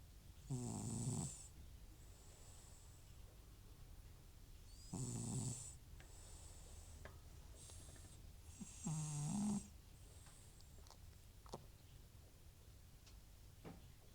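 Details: Butcher, an old FIV-positive rescue cat prone to snoring when off nasal medication, sleeping soundly indoors; three raspy snores roughly every four seconds, each a short throaty rattle with breathy hiss, soft breaths between.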